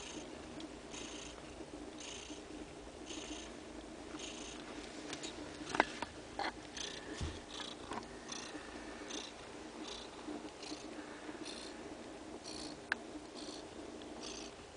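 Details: Kittens two days old feeding on their mother's milk; a soft, even purr continues with regular breathy pulses, broken by a couple of faint knocks and clicks midway and near the end.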